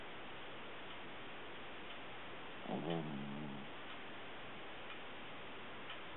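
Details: Puppy snoring in sleep: a single squeaky, tremulous snore of about one second, rising then trailing off, heard over an even wash of hiss.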